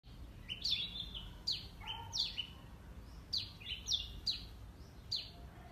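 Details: Squirrel recorded on a Nikon D5600 with a Tamron SP 70-300 mm lens: sharp, high chirps sweeping steeply downward, given in short irregular bursts over a faint low background hum.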